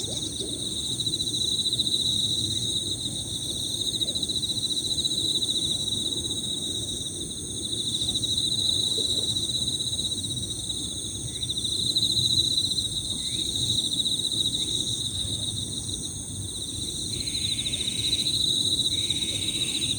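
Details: Several Emma field crickets chirping together in high, overlapping piririri trills that merge into a steady shimmering chorus, with other higher-pitched insects layered above and a few faint, brief small-bird notes scattered throughout.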